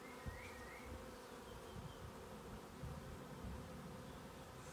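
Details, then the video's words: Honey bees on the move, having shifted location, produce a low continuous hum overlaid by soft thumping bumps and a couple of faint, high, chirping notes from other birds. "Honey bees on the move"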